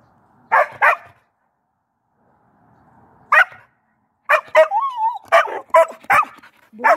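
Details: Border Collie left at home reacting while its partner dog is taken out for a walk: short sharp yips and barks in bursts, with a wavering, high whine between them, and a pause of near silence before.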